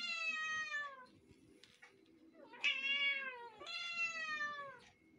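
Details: Several pet cats of one household meowing: three drawn-out, harmonic-rich meows, each sliding downward in pitch, separated by short quiet gaps with faint soft shuffling in between.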